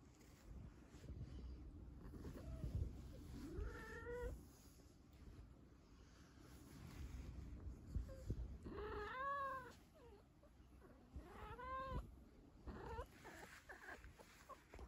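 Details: Trouble, a pet cat with a crush on toilet roll, gives four drawn-out meows over about fifteen seconds, each rising then falling in pitch. Quiet indoor background hum between the calls.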